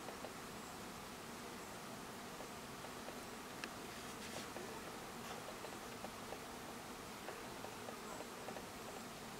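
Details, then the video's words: Dense, even hum of many honey bees at their hive, a continuous buzzy drone with a faint hiss above it and a few soft ticks around the middle. "Hive with bees"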